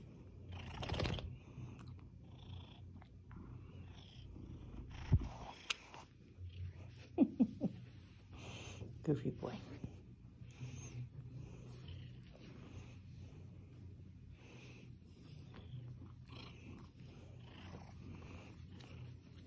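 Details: A seal point Siamese cat, rescued from a hoarding situation as a kitten, purrs while snuggling: a steady low rumbling purr throughout, with a man's voice speaking softly and occasional rustling and handling noises.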